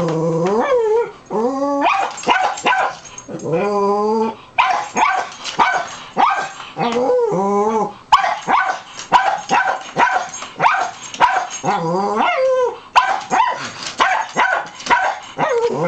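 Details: Indoor dog barking repeatedly at a person hiding in the back of a coat closet, recorded July 20, 2011; loud, harmonic barks with rising and falling yelps in quick irregular bursts, some drawn into whiny howl-like notes.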